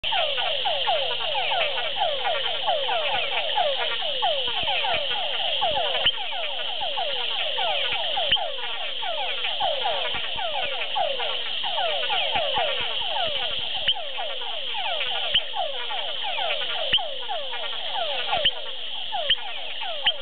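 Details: Leptodactylus wagneri frogs at Hato Masaguaral, Guárico, Venezuela, call nonstop: a dense stream of quick, downward-sliding chirps overlapping into a chorus.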